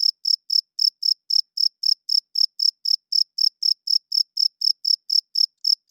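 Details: Male cricket chirping at night to attract females and establish territory, made by rubbing its wings together. High, clean pulses repeat about four times per second in a steady, unbroken rhythm. No other sounds are heard.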